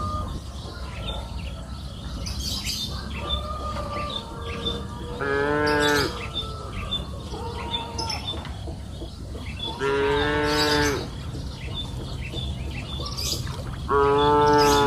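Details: Cows grazing on a green pasture hill in the afternoon give three drawn-out, harmonic moos, each about a second long and spaced several seconds apart, over steady background hum and chirping birds.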